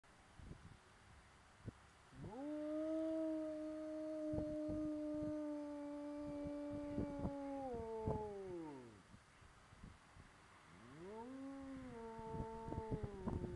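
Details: Pet dog howling out of boredom in a yard, behind its entrance gate and not caged: a long steady mournful tone held about six seconds then falling away, followed by a second rising howl, with faint tapping between.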